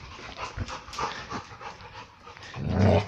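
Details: A dog gives a low, rumbling growl that swells loudly at the end during excited ball play; the owner says its growling and barking are play, not aggression.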